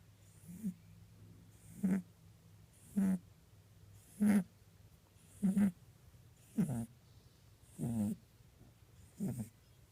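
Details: Pet rabbit asleep, described as lazy and occasionally snoring: soft snuffling snores repeated about every 1.2 seconds, each a brief breathy burst, over a steady low hum in a quiet room.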